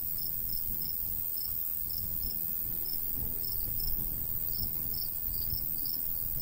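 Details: Crickets in a summer countryside beside a golden wheat field, chirping in short high pulses at an uneven rhythm, with a steady constant high hiss and low rumbling breeze beneath.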